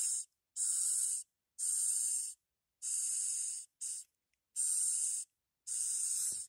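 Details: Madagascar hissing cockroach, a small captive one of three bought as feeder insects, hissing by pushing air from openings between its body plates. Seven harsh, airy hiss bursts, each under a second, come roughly once a second with silent gaps between.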